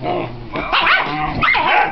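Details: Foster puppy upset that no one wants to play with it, giving two short rising-and-falling yelping barks about half a second apart after a brief quiet start.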